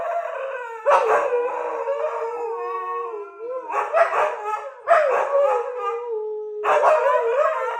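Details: Siberian Husky howling in a morning session, acting like an alarm clock: long sustained tonal howls that dip and level off, broken by rougher, barking-like bursts roughly every second or two.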